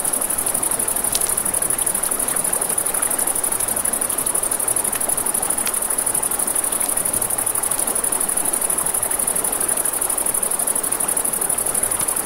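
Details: Night-time riverside crickets keep up a continuous high, buzzing trill, never pausing, while a gentle wash of flowing water fills the background and occasional snaps from a crackling campfire cut through.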